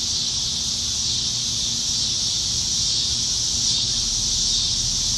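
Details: Chorus of cicadas high in trees on a summer evening in Nebraska, July 2019; a constant shrill, hissing drone with gentle swells, and a low background rumble.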